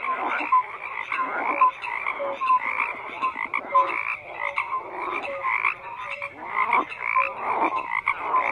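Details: Croaking frogs in full chorus: rough, grating calls that rise and fall in bursts, with short clear tonal notes repeating roughly every second among them.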